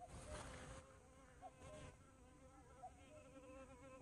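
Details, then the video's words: Bumblebee in flight: a low droning buzz with stacked overtones, its pitch drifting slightly, plus brief louder rushes of broadband noise near the start. "호박벌의 비행모습"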